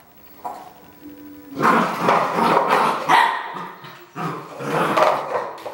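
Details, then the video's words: Red merle Border Collie barking in two loud, harsh bursts of rapid, overlapping barks, the first lasting about two seconds, the second beginning after a short pause; a faint tonal hum precedes the first burst. "BC Red Merle - Barking"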